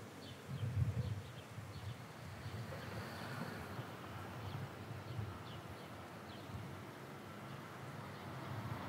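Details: Bees feeding on nectar in almond tree blossom on a warm early spring day: a low, wavering buzz hum that swells and fades, with faint bird chirps high above.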